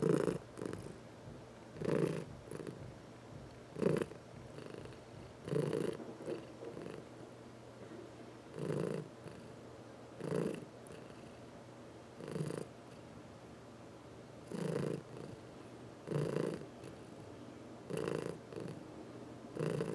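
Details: Purring domestic cat during a massage, one of four pets, some of them senior cats adopted from the Humane Society of New York City; a low, throaty rumble rising and falling in pulses roughly every two seconds, about thirty per minute, in a quiet room.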